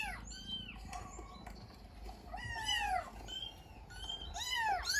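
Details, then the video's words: Cat responding to a played meow recording; three drawn-out, downward-sliding meows spaced a couple of seconds apart over a noisy, rumbling background. "CAT REACTION TO MEOW SOUND"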